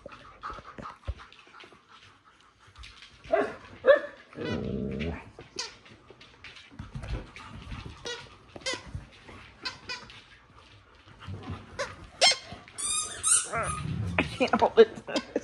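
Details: Household dogs demand attention as their owner tries to sit down for a TV show, giving scattered whimpers, short barks and squeaky whines, with background music and a woman talking.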